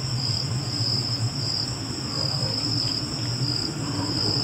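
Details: A cricket trills steadily, a high-pitched, evenly pulsing chirp without a break, over a low, steady rumble like distant traffic or machinery.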